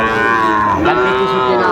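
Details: Sahiwal bull calf at a Chattogram livestock market, Bangladesh, 17 August 2024; one long, steady, tonal moo, slightly falling and then levelling, with market chatter behind.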